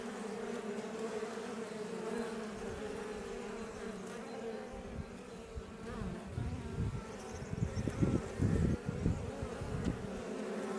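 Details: Iberian honey bees outside their Langstroth hive near Roquetes, south Tarragona, Spain; a steady background hum, then loud, low buzzes in the second half as individual bees fly close by in quick repeated passes.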